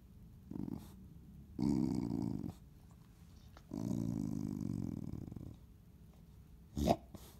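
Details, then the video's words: Chow Chow growling indoors during an aggressive moment toward its owner: low rumbling growls in three long bursts of about a second or two each, with a short sharp sound near the end and a person speaking nearby. "Does Chow Chow attack owner?"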